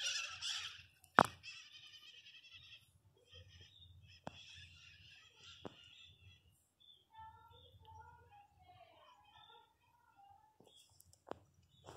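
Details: Newborn Miniature Pinscher puppies sleeping and dreaming, indoors: thin, high squeaky whimpers in short uneven bursts, with a cluster of wavering cries near the end, broken by sharp clicks and knocks over a low steady hum.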